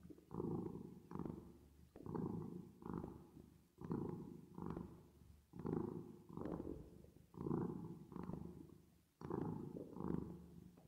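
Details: Cat purr with reverb effect: steady low rumbling throbs that come in twos, a louder pulse followed by a lighter one, repeating roughly every one and a half to two seconds with no other sounds.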